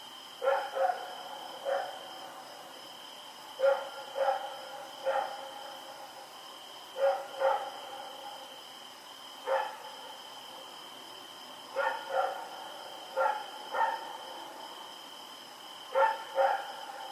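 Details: Rex, a dog running around in the dark, October 7, 2018; a long run of barks in pairs and triplets every second or two, moderately loud, accompanied by a constant thin electronic whine.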